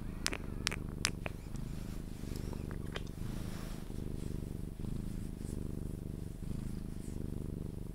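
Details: Sphynx cat purring as it is cuddled to sleep, an even low rumbling purr in breathing-paced waves, with a few kissing smacks at the start.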